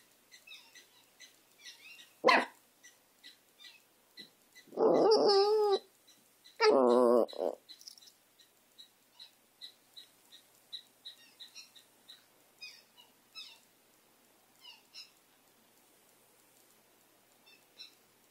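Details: Benny, a dog, gives one sharp bark, then two loud, drawn-out, wavering bark-howls close together. Soft rhythmic ticking continues in the background.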